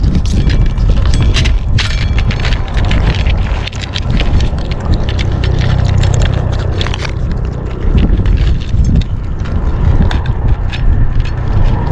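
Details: On a day of strong wind, loud buffeting rumble fills the microphone with crackling gusts throughout, and no animal voice stands out.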